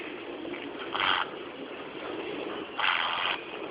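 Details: Sleeping piglet snoring: two raspy, breathy snorts about two seconds apart, the second longer, over a steady low background hiss.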